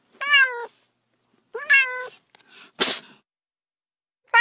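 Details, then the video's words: Domestic cats giving two clear, rising-then-level meows, followed by a short burst of broadband noise and the start of another meow. "30 minutes of Cats' Meow"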